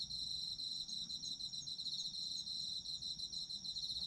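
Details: Autumn insects in a sleep ASMR recording, a continuous high-pitched chorus of rapid pulsed chirps layered in two bright bands, unbroken throughout, with soft low background hum.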